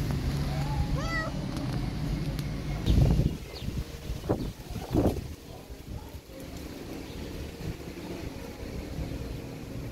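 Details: Protective mother cat teaching her kittens on a lawn gives one short rising-falling meow with clear harmonics near the start, followed by thumps and a steady low engine-like hum.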